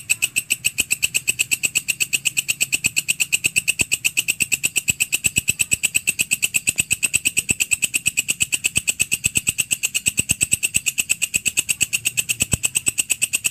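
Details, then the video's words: Continuous chirring from a grasshopper called walang kecek or belalang kerik, used to tutor cage birds: crisp ticks repeated rapidly at an even pace, bright and shrill, with only a faint low hum underneath. "Masteran walang kecek / belalang kerik"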